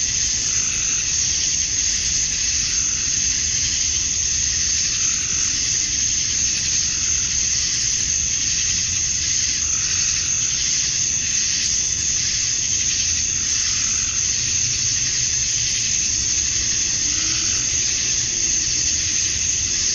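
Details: Cicadas in Georgia, USA, at dusk on a summer night; the males chirp to draw females. A continuous, even high whirring drone with a bright whine on top, rising and falling slightly in waves, with distant low rumbling underneath.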